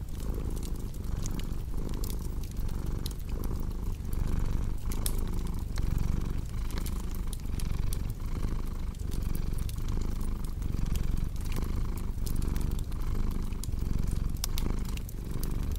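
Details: Cat purring in a steady low rumble that swells and fades with each breath, close and continuous, with sharp pops and crackles from a cozy fireplace scattered across the whole stretch.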